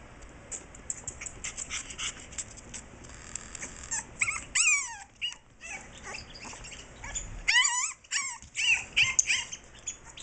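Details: A 7.5-week-old French Bulldog puppy, angry and wanting to get out to reach its owner. It makes scattered high, downward-sliding whines and yips over a hissy, noisy background, with the clearest cries coming midway and near the end.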